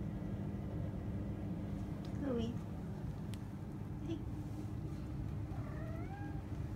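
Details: Tabby cat indoors at bedtime, being wished good night in a small room: a short bent meow near the two-second mark, then a longer meow that rises and falls near the end, over a steady low hum with a quiet human voice.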